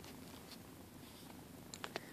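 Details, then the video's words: Several pet cats purring while lying on a bed in the morning; a soft, steady low rumble fills the room, with a few brief clicks and rustles near the end. "purring on the bed"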